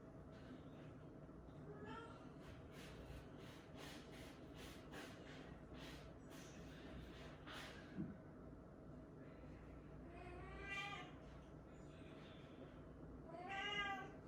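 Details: Kitten, one of two that endured a cold snap together, diagnosed with dry feline infectious peritonitis with neurological signs; two drawn-out, rising-then-falling meows near the end, after a stretch of snuffling and rustling.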